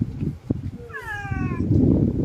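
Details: Hungry domestic cat that has not been fed, giving a single drawn-out meow with falling tone over about a second, while a woman talks to it in Bengali over background noise.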